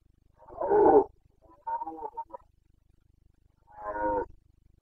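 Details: Carpathian red deer stag in Bucovina's mountain forests, roaring during the breeding season on 29 September 2022; two loud hoarse roars about three seconds apart with a quieter broken grunting bout between them, no other sounds.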